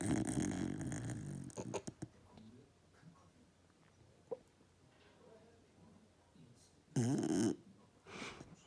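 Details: Cara, a sleeping fox red Labrador Retriever puppy, snores indoors with a low, rough, rumbling breath at the start, then a quiet stretch with a few soft clicks and a short louder burst near the end.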